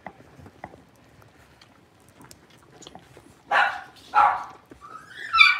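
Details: Blenheim Cavalier King Charles Spaniel puppies at six weeks old, one of a litter of five in an indoor pen, after quiet shuffling break into three sharp high yips, the last rising into a whine.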